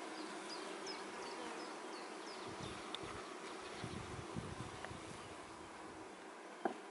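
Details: Honey bees kept in man-made hives for honey: a dense, steady buzzing drone with a low hum runs throughout, with faint high chirps of birds in the background and a brief knock near the end.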